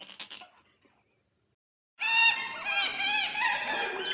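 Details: Otter heard in the wild. A few faint, quiet calls are followed by silence, then an abrupt, loud, high-pitched squeal with many harmonics, wavering up and down for about two seconds.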